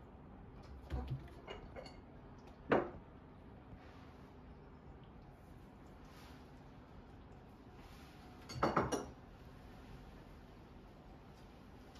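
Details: Quiet room hum broken by a few sharp clinks and clatters, like dishes or utensils, with no animal voice.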